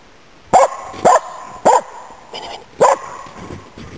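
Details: Nella, a Finnish Spitz hunting waterfowl and game birds in Inari, Finland, autumn 2010, gives loud, clear barks, four sharp ones spaced about half a second apart with one softer bark between.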